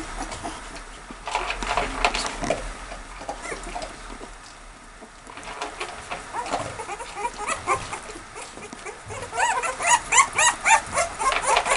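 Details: Two-week-old American Staffordshire Terrier puppies, 13 days old, whining in short rising-falling squeals; bursts come in clusters, quieter in the middle and building to a fast, regular run of squeaks near the end.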